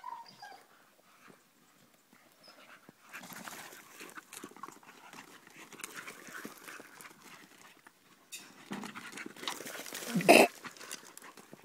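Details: A Staffordshire Bull Terrier playing with its mother gives a brief whine, then rough panting and scuffling noises, ending in a sharp louder yelp.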